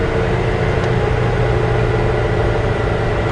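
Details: Steady idling vehicle engine rumble on a safari drive, with no animal sounds.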